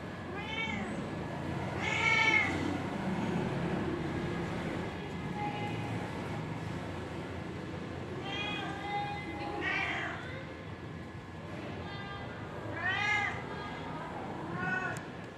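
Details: Domestic kittens playing and attacking each other, giving repeated short meows with bright harmonic stacks, several calls every few seconds, over a soft rustling background.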